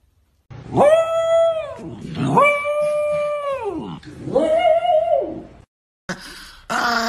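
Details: Angry dog from a collection of funny dog reactions, giving three long, drawn-out howls that hold a steady pitch and slide down at the end, each lasting over a second, followed by a short separate burst of sound.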